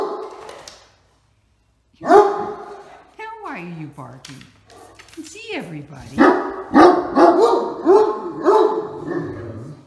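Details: Indoors, a Great Dane named Max joins his sister Katie at the door as talkative watch dogs, giving a run of harmonic, howl-edged barks in rhythmic bursts about every second, mixed with a person talking.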